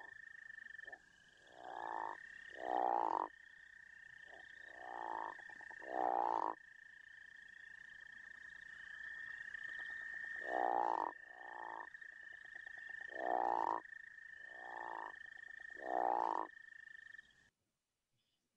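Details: Crawfish frog from Arkansas with deep, rasping snores rising in pitch, mostly in close pairs spaced a few seconds apart. A steady high droning trill from other frogs continues underneath throughout.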